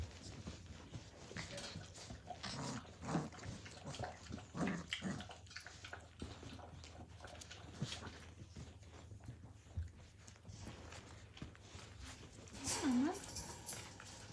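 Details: Australian Cattle Dog (Blue Heeler) puppies playing indoors in 2020: scattered soft grunts and snuffles, with short whimpering whines and a rising-falling whine near the end over a low room rumble, a person speaking briefly afterwards.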